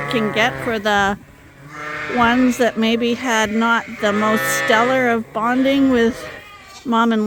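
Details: Bleating from Suffolk lambs crowded together in a barn at Ewetopia Farms, groups mixed after escaping through an open gate; overlapping tremulous calls follow one another closely, some long and wobbling, with brief pauses between.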